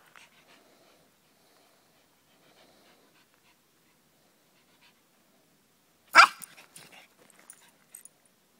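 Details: Pug mix running wild in a forest, going crazy: a long quiet stretch, then a single sharp loud bark-like burst around six seconds, followed by a few softer scattered noises.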